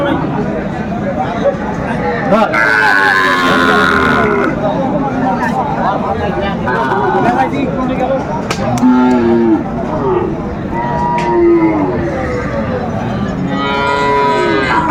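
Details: Sahiwal bull calf market scene in Chattogram, Bangladesh, 7 December 2024: several moos scattered through the clip, one higher strained cry early on and shorter low calls later, amid constant crowd noise and talking.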